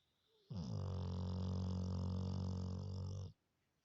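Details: Labrador Retriever snoring loudly, said to sound like a human, one sustained deep rumbling snore of about three seconds with strong low harmonic bands, in a quiet room.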